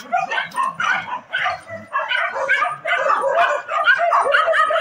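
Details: Street dogs fighting: rapid overlapping barks and high yelps in uneven bursts, with some low growling underneath, building into a steady noisy scuffle.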